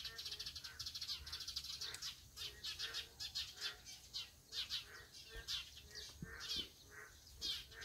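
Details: Many Boreal digging frogs call together, producing a thick stream of short, buzzy, harmonic notes repeated roughly once a second. A couple of faint low knocks are heard near the end.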